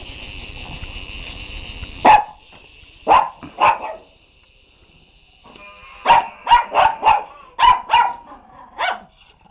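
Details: Shih Tzu dogs playing with toys give sharp, mid-pitched barks: a single bark, a quick pair, then a rapid run of about six more. A steady high-pitched tone plays beneath the opening seconds and again in the middle.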